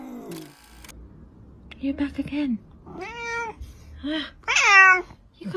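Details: Domestic cat meowing indoors in a few short arched calls, the last one louder and rising then falling, interleaved with a person talking softly to the animal.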